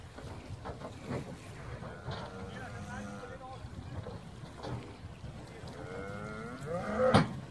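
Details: Hereford cattle, eleven cows with calves, landing on Skarø on 13 April 2016 after sailing from Tåsinge to graze there all summer; drawn-out, low harmonic moos near the middle and again toward the end, with people talking and a sharp knock.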